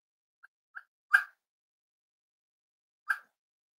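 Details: Cavalier King Charles Spaniel, from an indoor kennel livestream of five-week-old puppies and their parents, gives two faint squeaky yips, then a loud sharp bark, a two-second pause, and a second bark, in an otherwise silent room.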